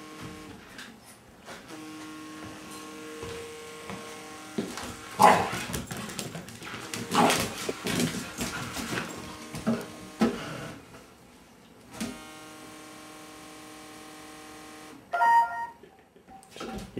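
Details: Labrador Retriever puppy indoors, barking at, playing with and curious about a vibrating cellphone; scattered yappy barks and whines among steady buzzing tones of the phone, with people urging it on between bursts.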